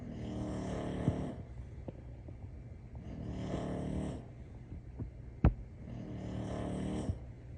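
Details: A sleeping English Bulldog in Houston, Texas, snores loudly in long, rasping, low breaths about every three seconds.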